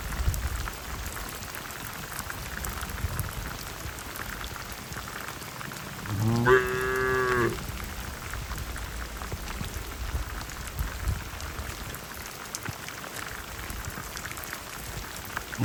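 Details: Herd cattle heading back to the shed in a heavy downpour give a single short, wavering low moo midway, surrounded by long stretches of steady rain noise.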